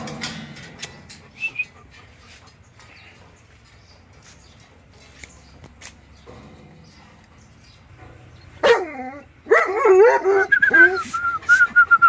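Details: Pet dogs, a German shepherd, a dachshund and a 16-year-old Labrador, at home. Mostly quiet with faint knocks at first, then a burst of loud, high, wavering whines and yelps that rise and fall over the last four seconds.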